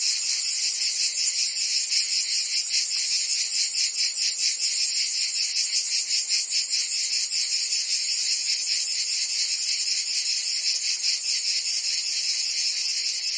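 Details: Cicadas singing in summer in Provence, France: a dense, continuous high buzzing chorus with a steady pulsing swell about two to three times per second, no other sounds.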